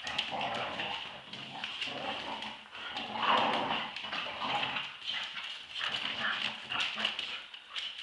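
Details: Tug-of-war play fight between two Staffordshire Bull Terriers, aged two years and eight months; steady rumbling growls mixed with harsh, breathy snarls and snorts, rising and falling in uneven waves.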